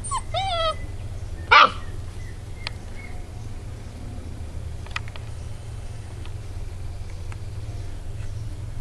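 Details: Ibizan Hound puppies playing outdoors: a short, high, wavering whine with rising and falling yips at the start, then one loud sharp bark-like burst, followed by quieter background with a steady low hum and faint clicks.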